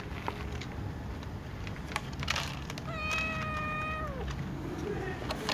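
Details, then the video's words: Brown tom cat among other cats, meowing while asking to be fed; one drawn-out, level meow that dips slightly at its end, over a background of rustling and knocking sounds. "tom cat, Little cat , Ginger cat , brown cat meowing asking to be fed with other cats"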